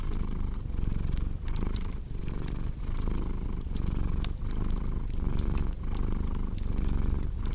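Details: A cat's deep, continuous purr pulses rhythmically with each breath, roughly every 0.7 seconds, while fireplace crackles snap lightly over the top.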